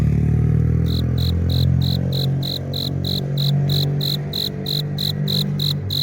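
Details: Male cricket stridulating, rubbing its forewings together to lure a female. A fast, even train of pulsed chirps starts after a second and runs to the end, about four per second, above constant low-frequency hum.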